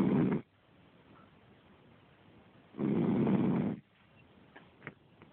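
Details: Five-month-old Cavalier King Charles Spaniel puppy asleep on a couch, recorded on a cell phone: two loud, rasping snores, a short one at the start and a longer one about a second long, with quiet breathing between.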